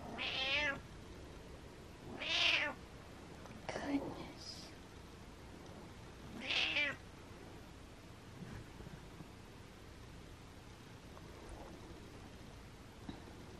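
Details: A cranky, frustrated pet cat indoors gives three loud harmonic meows in the first seven seconds, then only faint room noise follows.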